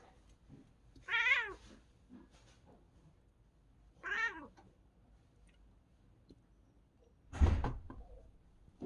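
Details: A cat watching a bird outside gives odd, wavering, quavering cries, two clear chattery calls about three seconds apart, then a sharper, louder burst with a thump, in a quiet room.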